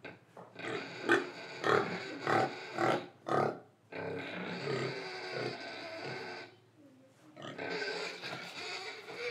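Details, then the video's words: Pig from Indonesia oinking, breathing and eating: a steady series of rhythmic, rough grunts about every half second, then prolonged harsh, raspy squeals with a short quiet gap between them. "Pig Sound Effects Oink Oink, Breathing & Eating"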